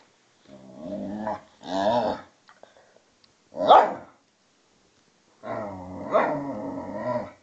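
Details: Vizsla and pointer, Tarkas aged two and a half and Noonoo aged twelve, play fighting indoors: long harmonic growls in three bursts, a short sharp bark-like yelp in between, with quiet gaps.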